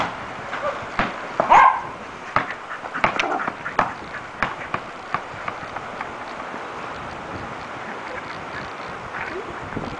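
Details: Two dachshunds playing basketball indoors; one gives brief, high yips, whines and a small whimper in the first few seconds, then falls mostly quiet amid scattered thumps, knocks and clatter in the room.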